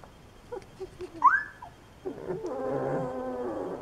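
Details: Great Dane puppies indoors: a few soft, short squeaks, then a sharp high whine that slides upward, followed by a lower, muffled, drawn-out sound with layered tones.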